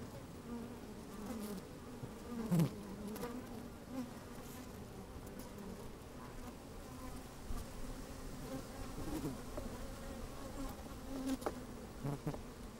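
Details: Inside an opened beehive on a sunny, slightly windy day, honey bees move about and buzz: a constant deep drone with a steady tonal band, brief sharper buzzes and faint crackling throughout.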